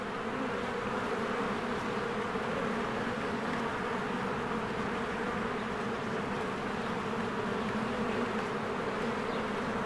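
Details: Springtime beehive with swarms of honeybees working busily around the entrance, giving an unbroken, even buzzing hum with steady low droning bands throughout.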